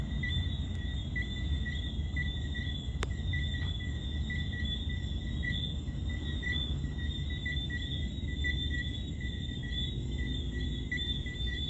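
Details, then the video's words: Crickets and tree frogs calling together on a June summer night in Montego Bay, Jamaica: unbroken high, rapidly pulsed chirping layered in two tones, backed by a deep steady wash of waves and one sharp click. "crickets and tree frogs on a summer night in Mobay Jamaica"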